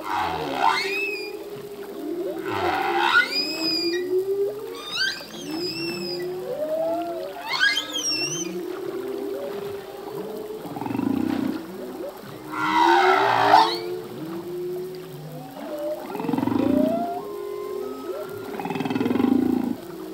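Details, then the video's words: Full-length song of a male humpback whale in the ocean, phrases shifting year to year: rich mix of high rising whoops and harmonic squeals over steady mid-pitched moans and rumbling groans, dense and continuous throughout. "Whale song - full length humpback whale song"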